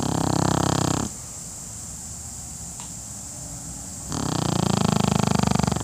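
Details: A napping Pekingese snores heavily in coarse, fluttering, low rattles; a loud second-long snore gives way to a hush of about three seconds before the next rough, rumbling breath.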